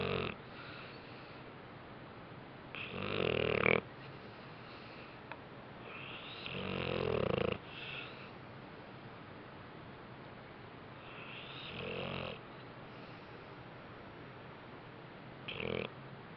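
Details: Bentley the dog asleep indoors after a rough day, snoring in rough, rattling bursts of one to two seconds, spaced several seconds apart, with quieter breaths between them.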